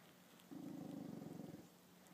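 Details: Chanel, a female dog, reacts to her reflection in a mirror for the first time with a low, rough, pulsing growl lasting about a second, starting abruptly and fading out; quiet indoor background.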